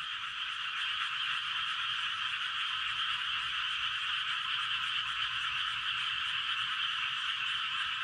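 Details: Dense night frog chorus in a rice field at Gapyeong, Korea, recorded around 11:19 pm: a continuous, steady wall of overlapping croaks and trills concentrated in a high band, many callers blending together without pause, no other clear sounds.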